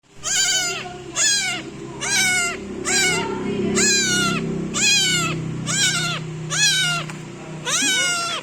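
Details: A new kitten meows very loudly while kneading its owner, giving high, harmonic-rich meows that each bend upward then slide down, about eight calls in quick succession roughly a second apart, over a low background hum.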